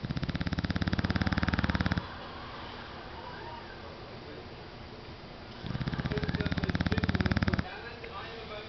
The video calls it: Angus the English Bulldog snoring like a diesel engine